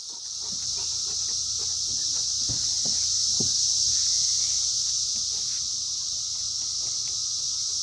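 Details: Cicadas out in 2021 keep up a loud, even, high buzzing wall of sound, swelling slightly midway, while scattered light taps and footstep-like clicks sound close by.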